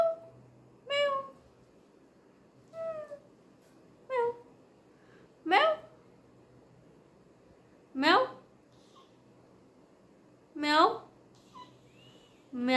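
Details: Kitten siblings indoors meowing: about seven separate short meows, some flat and some sharply rising, repeated every two to three seconds against a quiet room background.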